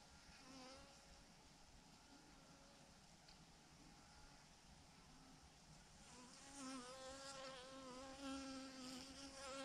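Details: A honey bee swarm of thousands, massed in a clump on a branch, drones continuously; the hum thickens and wavers louder in the last few seconds as nearby bees fly past.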